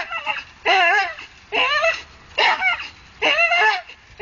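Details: While hanging from a tree, a Staffordshire bull terrier gives quick, high-pitched whining yelps in short wavering bursts, about five in four seconds, each falling slightly in pitch at the end.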